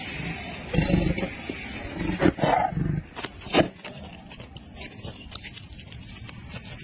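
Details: Ferocious white tiger, said to be attacking a cameraman, gives several deep, rough roaring bursts about a second apart, then quieter rumbling and scraping noises.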